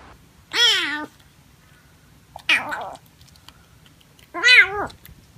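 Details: Domestic cat meowing indoors: three clear, loud meows spaced about two seconds apart, each a rich harmonic cry rising then falling, the last one strongest, in an otherwise quiet room.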